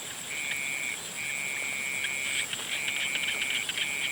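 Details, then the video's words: Sunset frog calls: short bouts of a high, steady trill, each around a second long with small gaps, set against a constant high-pitched drone and light noise. "Sunset sounds of frogs"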